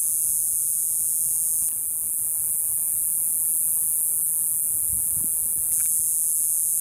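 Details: A cicada in small trees, recorded up close, gives a shrill, steady buzzing drone, high and unbroken, with a few faint handling bumps.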